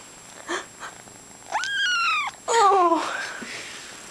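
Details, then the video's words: Female domestic cat indoors, begging for its owner's McDonald's food: a sustained, slightly rising meow followed by a second, falling meow, with faint soft sounds before. "Kitty Meow."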